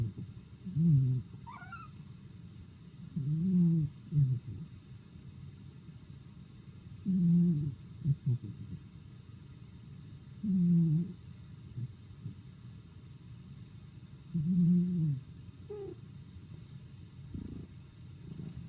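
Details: Sleeping pet cat snoring at home: soft low wheezy breaths repeating about every three to four seconds, each a short rough purring rasp, steady and quiet throughout.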